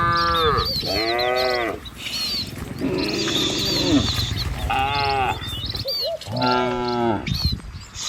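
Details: Cattle herd driven by a herder along a village road among green trees and wide rice fields, breezy: several long, deep, drawn-out moos, one bending upward then falling, with gaps between. High chirping birds throughout, plus steady rustling background noise.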